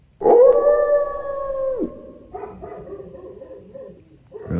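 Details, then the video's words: Dogs howling outside a mountain cabin, set off by passing coyotes and other animals; a loud sustained howl holds level for about a second and a half and then breaks off, followed by a chorus of quick overlapping yips and barks. "Dogs Howling is a Mountain VIBE"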